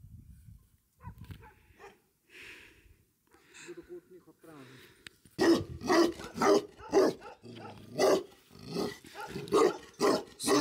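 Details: Bhote Kukur dogs (Himalayan sheepdogs) on a high-altitude farm at Kali Pokhari, eastern Nepal; quiet talk and shuffling give way to loud, steady barking, about two barks a second, in the second half.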